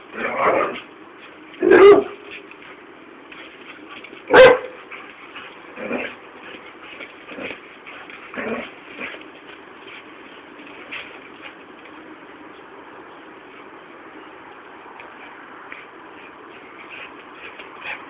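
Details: An Alaskan Malamute, during a crazy, excited mad moment, gives sharp, irregular barks and yips between quieter vocal noises.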